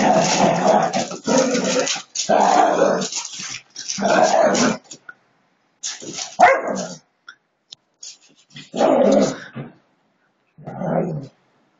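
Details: Siberian Huskies in a friendly play fight, growling in loud, rough bursts of about a second each, separated by short silences, with a few sharper yelping notes near the middle.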